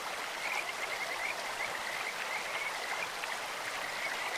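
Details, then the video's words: Kajika frogs calling in a clear stream, a run of short, high whistled notes repeated every few tenths of a second, partly masked by the steady rush of flowing water. "清流にカジカガエルが鳴く "Croaking of Kajika frogs in a stream""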